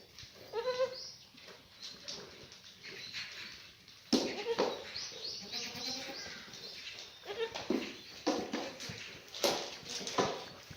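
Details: Black goat mothers and kids in the birthing pen at Sunny's Black Goat Farm, Gimhae, South Korea, on a clear Monday morning, 4 March 2019: several wavering, harmonic bleats scattered through the clip over barn noise and rustling.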